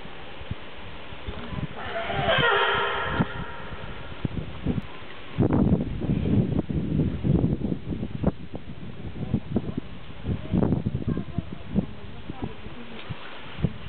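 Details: California sea lion at Zoo Opole giving one loud, harsh, harmonic bellow lasting about a second early on, followed by a stretch of low, irregular thumps and knocks with faint background voices.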